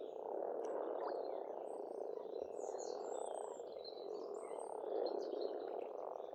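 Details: Spring at an Estonian pond: many frogs croak in an unbroken purring chorus that swells slightly near the end, and birds sing busy high twittering phrases over it.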